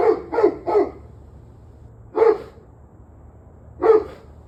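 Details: Dog barking, recorded 21 November 2023 at 7:06 pm: a quick burst of three sharp barks, then two single barks spaced well apart over a low steady hum.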